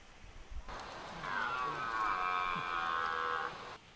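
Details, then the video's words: Red deer during the rut in De Hoge Veluwe, Netherlands: one sustained, even roar of about two seconds, with a strained, slightly wavering tone, in an otherwise quiet setting. "Bronst Edelherten 2023"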